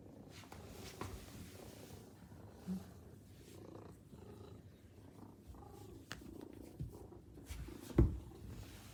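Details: Maine Coon cats waiting at a home's front entrance purr while greeting their owner on arriving home; a steady low rumbling purr runs throughout, with a few soft knocks and a sharp thump near the end.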